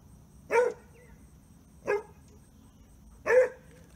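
A Basset Hound gives three short, gruff barks, each about a second and a half apart.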